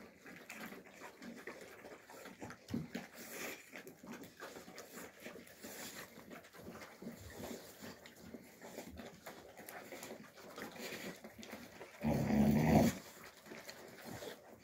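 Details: Young Alabai puppies, Fawn Alpha and Tiger, fighting in winter 2023: low, rough grumbling and scuffling run throughout, then one loud, harsh, snarling burst near the end before quieter scuffles return.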